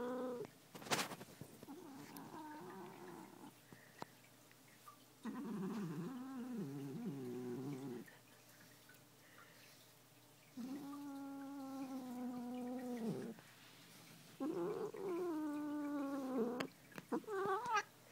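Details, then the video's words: Domestic cat growling while being brushed, indoors: low wavering growls alternate with drawn-out, higher moaning yowls in several separate bouts with quiet pauses between, plus brief handling noises and a person speaking softly. "Growling Cat"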